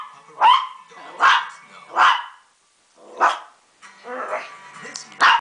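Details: Maltese dog barking at the TV indoors: sharp, loud barks roughly every second with a short pause, over a television advertisement voice and music in the background.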